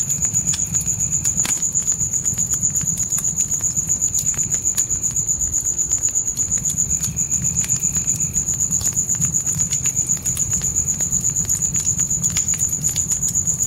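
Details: Night crickets beside a campfire in a dark forest: a steady, high, pulsing trill of about four beats per second runs without pause, over sharp crackles and pops of burning wood and a soft low rumble of flames.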